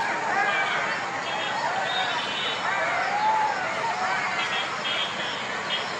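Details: Golden jackals (Canis aureus) calling at night howl together in a dense chorus of wavering, siren-like wails that rise and fall.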